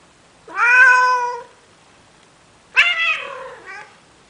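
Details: Male cat in Athens, Greece, begging a female Siamese cat to mate: two drawn-out harmonic meows, the first steady and about a second long, the second rising sharply then trailing off with a short tail, in a quiet indoor room.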